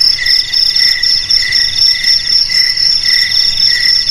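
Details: Shrill cricket chorus of overlapping trills, the highest voice steady and continuous while a lower one chirps in quick rhythmic bursts; nothing else audible.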